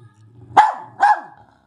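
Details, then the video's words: German Spitz pet indoors, having climbed down from where it was told to stay; two sharp, shrill barks about half a second apart over a low background hum. "German Spitz Dog | Barking Spitz"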